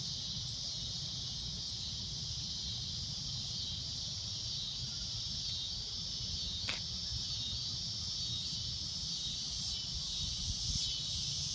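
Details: Cicada droning at golden sunset: a continuous, piercing high buzz, interrupted once by a sharp click, with a low rumble throughout.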